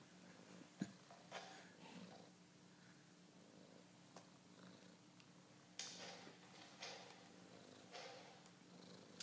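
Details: Domestic cat discovering a mouse on a screen gives a quiet rhythmic purr under a steady hum, broken by several bursts of rustling and scratching and a couple of sharp taps.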